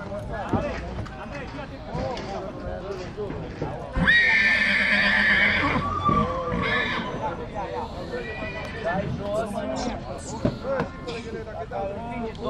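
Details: A two-year-old stallion colt from Dăneștii Chioarului, Maramureș, Romania, neighing: a strong shrill whinny sliding downward over about two seconds, with several people chatting throughout.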